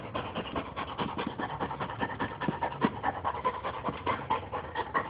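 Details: Boxer bitch at play, panting in quick regular breaths about one and a half per second, each huff a short noisy burst, slightly tonal rasp in the middle range, nothing else audible.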